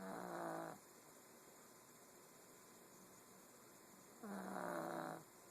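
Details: Sleeping pug snoring: two rough, buzzy snores with a low droning tone, the first in the opening second and the second about four seconds later, with quiet breathing gaps between them.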